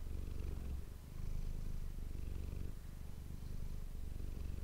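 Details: Close-miked purring from Manis the cat, recorded for ASMR; low vibrating rumble pulsing in slow breath cycles, slightly softer at first before strengthening.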